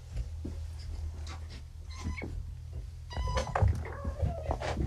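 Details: Four kittens, Vixen, Dancer, Donner and Prancer, found abandoned and now home from neutering, groggy and unsteady on pain medication indoors; short harmonic meows rise out of a low steady hum midway, with soft rustling around them.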